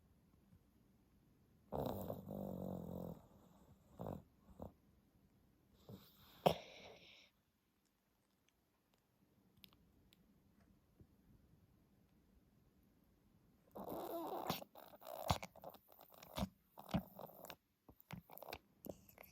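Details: Stella, a 10-month-old Pomeranian, snores loudly while asleep, a habit that started after reverse sneezing was noticed; a harsh, rough snoring burst lasts about a second, then short snorts, then a longer choppy run of noisy breaths near the end.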